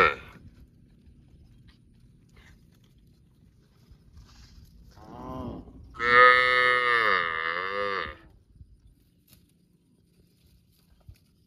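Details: Little cow mooing in a park: one loud, drawn-out bellow of about three seconds, starting low and swelling into a rich, nasal, slightly wavering tone before stopping abruptly, with a quiet background before and after.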